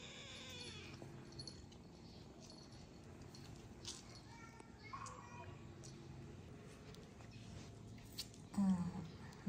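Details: Oreo, a sick black kitten who once could not walk but now walks and runs, playing indoors; a few thin, high harmonic meows at the start and again midway, with quiet household rustling and a woman speaking.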